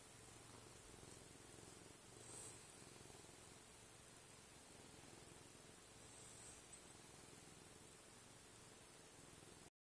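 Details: A cat purring while eating: a steady, low, pulsing rumble runs through the whole stretch beneath a constant bright static hiss, with a brief louder swell around the second and third seconds.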